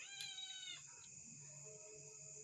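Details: A cat gives a short bright meow at the start, then a quieter one, over a steady high-pitched hiss, with a person speaking in Kannada urging it to go up.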